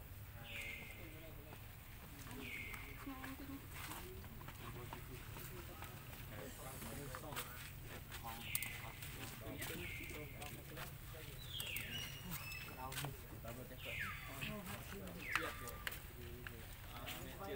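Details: Lucie, a baby monkey refused milk by its angry mother, cries loudly: a series of piercing cries, each dropping steeply then holding a level tone, coming in pairs and clusters, over steady low-pitched ambient noise and occasional taps.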